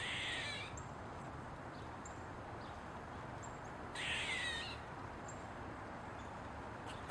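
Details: An Eastern gray squirrel standing on a mushroom gives two harsh, raspy barks about four seconds apart over a steady background hiss.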